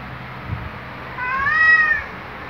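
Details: Luna, a male black pet cat, gives a loud waking greeting beside his owner indoors: one drawn-out harmonic meow rising then levelling, about a second long, with faint low rustling beforehand.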